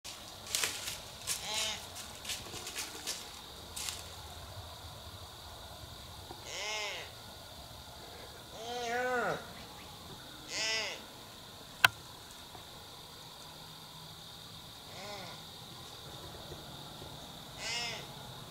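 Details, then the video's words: A wild doe in heat walking beneath a hunter's tree on public land gives loud bleats, short nasal wavering calls in bursts every few seconds, over a steady high insect-like hiss and a sharp click midway. "Live Doe in Heat Calling!!"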